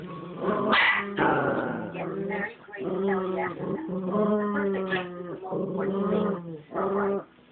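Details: Chihuahuas in a showdown: continuous whining, groaning growls with rising and falling tones, broken by short yelping bursts, over background music.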